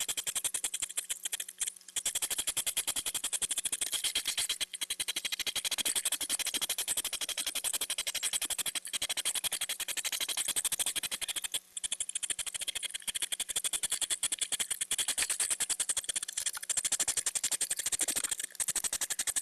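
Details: Hedgehogs courting in mating season at a feeding house at night, circling each other with a steady stream of rapid, hissing snorts and puffs, mainly from the females.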